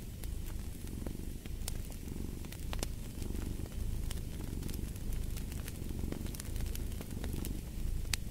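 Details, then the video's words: Low, even purr of a domestic cat, pulsing gently in a breathing rhythm near one-second intervals, while a wood fire crackles and pops sharply in the background. "Fall asleep to the Purring of a Cat & Fireplace"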